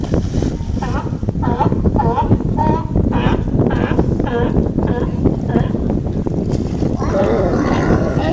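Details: Seals resting on the beaches of Santa Cruz, California, give low, moaning, moo-like calls over a steady roar of surf and wind, 22 May 2015.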